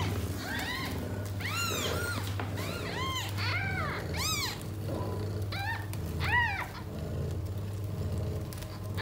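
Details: Domestic cat Tota, born to a stray, with her six newborn kittens at home; many overlapping rising-falling mews follow one another in quick bursts over a steady low hum.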